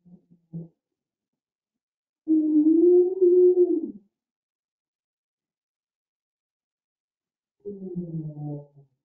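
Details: Humpback whale, a baleen whale, giving a low, drawn-out moaning whoop followed by a deeper groan and gargling, lower-pitched than killer whale calls.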